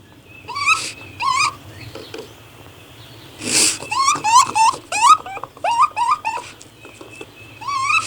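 A raccoon gives short, high, twittering calls with quick upward inflections, repeated in uneven bursts.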